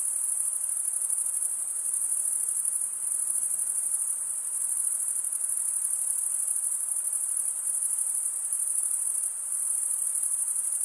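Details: Crickets keep up a relentless shrill chirring, the males scraping wing against serrated wing vein, steady in pitch and loudness, with occasional brief softenings and no other noise.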